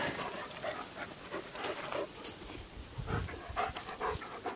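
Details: Rhodesian Ridgeback playing in a cornfield, panting rapidly and heavily in rough breathy bursts amid rustling of stalks throughout.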